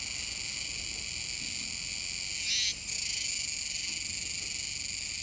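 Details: Recorded 7 September 2022 at the Komegawa river mouth, Nishinoomote, Tanegashima: Kuroiwa's cicada singing as an unbroken high metallic drone, with one brief, louder burst of rasping at mid-clip.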